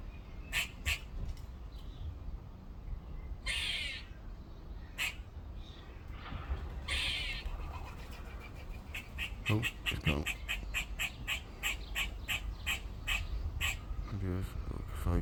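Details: A squirrel in a tree in a back garden, calling again on a second day, gives harsh, scratchy barks, then a fast run of repeated chattering calls.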